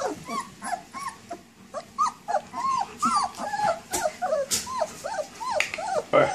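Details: Baby dogs giving quick, bending whines that rise and fall, many short cries tumbling over one another at a steady pace, with occasional sharp clicks and faint background music.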